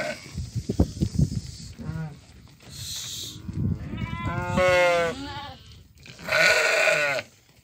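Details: Sale flock of ewes with lambs in Doukkala: after heavy knocking and shuffling, several bleats sound, two long, loud, trembling ones standing out near the end, with hiss behind.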